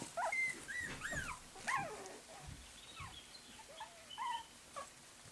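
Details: Several puppies in a small room give squeaky whines and yips, some notes sliding down steeply, others short and high, loudest early then fading to scattered whimpers, while someone calls the name Tyson.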